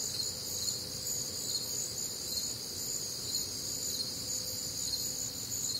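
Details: Night chorus of crickets in the Midwest on a warm, humid summer night, with unbroken high-pitched trilling in layered bands and rapid soft pulsing, plus a quiet low background hum.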